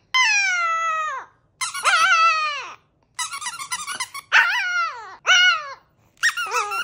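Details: Chihuahua singing a howling song in a small room, drawn-out nasal howls alternating with choppy yodelling bursts and squeaks, about six separate phrases, each gliding downward as it fades.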